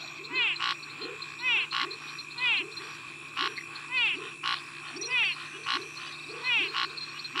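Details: An X-signed snouted treefrog (Scinax x-signatus) gives its territorial call of short, harsh, rasping notes about once a second, with other frog species calling in the background.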